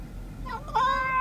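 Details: Domestic cat meowing after being asked to say hello: a short, rising meow that settles into a steady, clear tone lasting about half a second, with a quiet indoor background.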